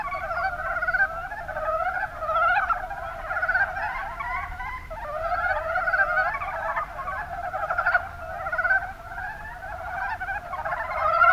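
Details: Many mountain brown frogs in Kumamoto's Kuma Basin, Japan, croaking together; a thick bed of short, repeated rattling notes that rises and falls in loudness throughout.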